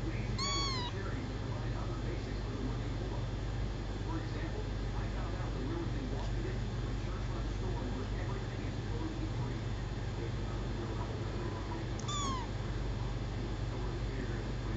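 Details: Four-week-old adopted male kitten, found at about four days old, gives two short high meows with falling tails, one near the start and one near the end, over a steady low hum.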